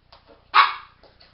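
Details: Molly, a 12-week-old female Border Terrier puppy, delighted with her first ever bone, lets out a single sharp, bright bark midway through, with a few faint soft sounds before and after in an otherwise quiet setting.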